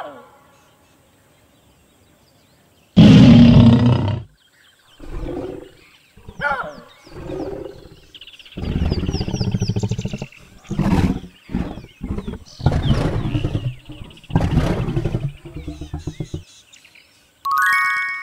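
A leopard gives a deep, rough roar, followed by a run of shorter, rasping growls.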